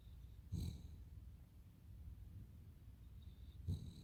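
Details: Sleeping Cavalier King Charles Spaniel named Totoro snores in two cycles. A thin whistling tone precedes each brief, gravelly snort, with the two snorts roughly three seconds apart and soft low breathing between them.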